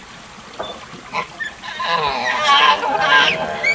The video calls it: Proboscis Monkey Calling Sound